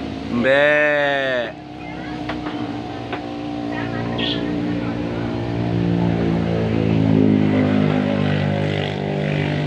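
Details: Goat meant for the Qurban sacrifice, eating grass, lets out a single loud, wavering, harmonic-rich bleat of about one second near the start, then a steady low engine rumble and hum carry on.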